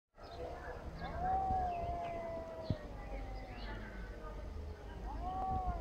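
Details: Angry cats fighting, mewing at each other: a long drawn-out yowl holding steady then falling, with a second rising-falling wail near the end, over low background rumble and faint bird chirps.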